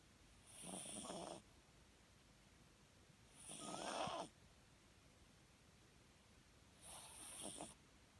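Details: A sleeping Papillon, a rescue dog awaiting adoption, snores while dreaming, its ears and paws twitching; three soft, breathy snores roughly three seconds apart, each lasting under a second, in an otherwise quiet room.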